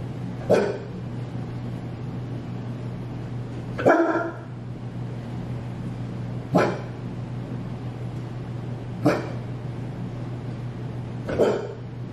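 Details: Bernese Mountain Dog named Benny playing hide and seek indoors after his owner suddenly disappears, giving five single deep barks spaced two to three seconds apart over a steady low electrical hum.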